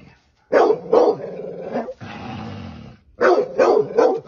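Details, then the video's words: Sharp repeated barks from a dog fighting a snake, two quick barks, then a second of low noisy growl, then another tight pair of barks. "dog kill snake"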